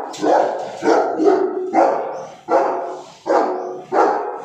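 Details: Cane Corso. A Cane Corso gives a run of deep, harsh, aggressive barks, each a rough burst with a sharp onset. The barks come steadily, roughly every three-quarters of a second, with no other clear sounds.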